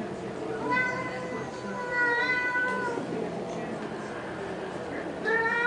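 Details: Cats squabbling over a car give long, sustained whining yowls, held level and then bending upward, with a fresh rising yowl near the end and murmured voices behind.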